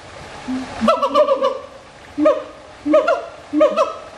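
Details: Siamang vocalizing: a soft low note opens, then loud ringing bursts with a stuttering, pulsed texture follow about every 0.7 seconds, each bright and harmonic, against a quiet background.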